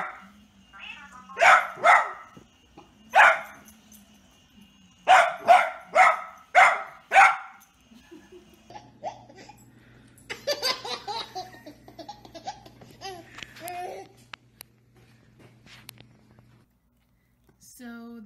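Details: Pet Dachshund named Theo barking indoors in sharp, loud bursts grouped in twos to fours over the first seven seconds, then softer yips and whiny squeaks, with a low steady hum underneath.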